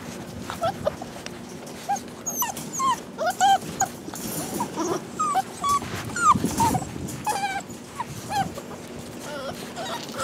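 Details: Several rescue puppies, perhaps shar pei, hound and lab mixes, keep up a busy stream of short, high whining cries and yips, bent and sliding in pitch, scattered across ten seconds above a faint background hum.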